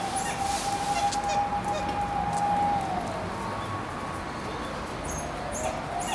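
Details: A male and female pair of dholes (Cuon alpinus) at Tennoji Zoo, December 2012, whine in thin, drawn-out, nasal tones while moving around, perhaps reacting to a siren.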